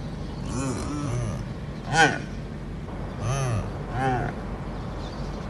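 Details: A male addax guarding females, giving deep harsh grunting calls in short bursts roughly every second, with a louder burst in the middle, over a low engine hum and wind.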